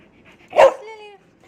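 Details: Cherry, a pet dog looking after kittens, "talks" with one sharp bark that trails into a short, drawn-out harmonic whine, in a quiet indoor setting.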